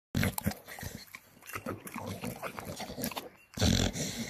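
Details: Staffordshire Bull Terrier eating, making food noises: wet chewing, smacking and snuffling in irregular bursts, with a louder grunting, slurping stretch near the end.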